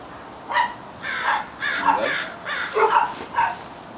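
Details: Five-month-old female Doberman, trained in puppy classes in Temecula, California, barks on the command to speak: about seven short hoarse barks spread over four seconds, some closer together, with faint room noise.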